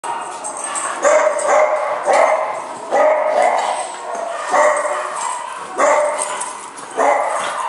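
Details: Two puppies, one named Copper, play wildly indoors on a bitterly cold day; short harmonic barks and yips burst out roughly every second, mixed with growly play noises and scuffling.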